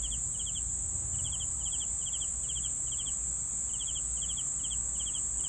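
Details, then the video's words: Crickets chirping for sleeping, a run of quick three-pulse chirps repeated about twice a second with one brief pause, accompanied by a continuous high shrill drone and quiet low background hiss. "CRICKETS SOUNDS"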